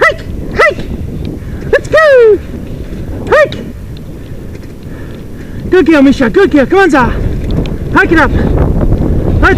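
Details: Sled dogs at a six-dog heat of the Wild Dog Derby race in South Australia, 2012: sharp, high, arched yelps and barks, a few spaced singly, then a rapid excited cluster, over steady wind and low rumbling background noise.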